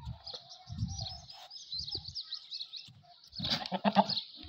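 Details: Goats, one white and one colourful female, together in the evening at a farm; short harmonic bleats rise above voices of people talking, with brief bird-like chirps in the background.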